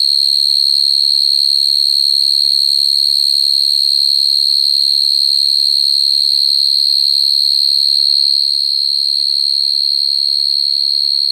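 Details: A common field cricket calling at night to attract a female sings a steady, high, ringing trill that carries on without a break.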